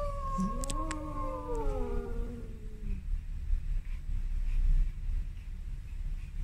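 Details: Male domestic cat giving one long drawn-out meow that slides steadily downward in pitch over about three seconds, followed by a quiet low rumble of background noise.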